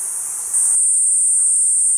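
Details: A loud, piercing sustained buzz from a Platypleura kuroiwae cicada that steps up sharply in volume early on, leaving a clean steady drone.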